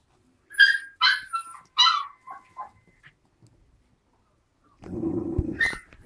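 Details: Young Alaskan Malamute x Siberian Husky puppies, four weeks old, play fighting: a quick string of high, squeaky whimpering yelps, a pause, then a short gravelly growl with a final high squeal.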